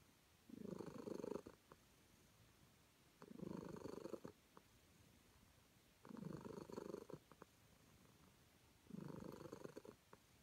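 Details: Contented calico cat being petted: four steady purring phrases, each about a second long, returning every three seconds with soft breathy gaps between them.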